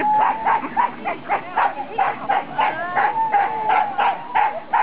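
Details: Siberian Huskies of a four-dog sled team barking excitedly at the race start of the 2008 NSW Siberian Husky Club Sled Dog Shield, Grabine Lakeside Park; rapid, fairly steady yips and barks about three per second, with overlapping voices.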